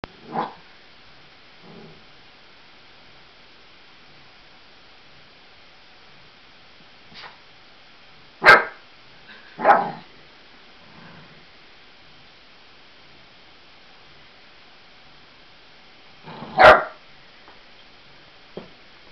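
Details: Eight-week-old Labrador cross Australian Blue Heeler puppy barking at balloons it fears, indoors; a few sharp high yapping barks scattered irregularly, loudest near 8, 10 and 17 seconds, with quiet gaps between.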